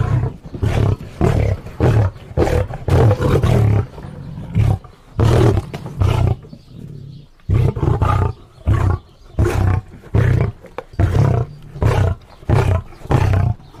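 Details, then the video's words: Lion giving a long run of deep, rough, chesty grunting roars, about twenty short bursts in quick succession with a brief pause midway; no other sounds. "lion sounds"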